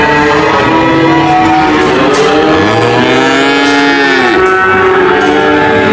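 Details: Cattle mooing in long, deep, drawn-out calls with rich layered harmonics; several moos overlap and swell together, one sliding downward near the end, over a steady dense background.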